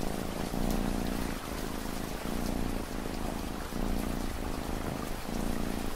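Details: Steady cat purr set against gentle ambient rain, a deep rolling rumble rising and falling in regular breath cycles under a constant rain wash.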